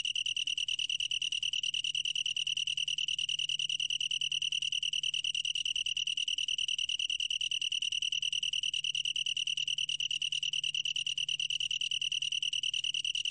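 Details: Long-tailed tree cricket singing a continuous, clear, high-pitched pulsed trill, with the pulses running evenly at roughly ten per second throughout, over a faint low hum.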